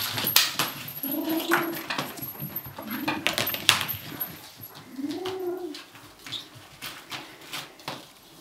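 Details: Kitten guarding its toy gives owl-like threat calls as it tries to get away: three rounded, low hooting moans about two seconds apart, with sharp clicks, rustling and knocking around them.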